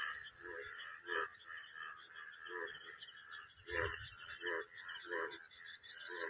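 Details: Many frogs croak together in a village field on a still, overcast afternoon after rain, with more rain expected at night. Throaty pulses come roughly every half second over a constant high drone.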